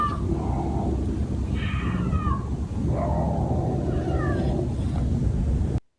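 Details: Backyard phone recording at night of two mountain lions, likely about to mate, calling with a yelling sound: several short, bending, wailing cries in succession against constant deep rumbling noise.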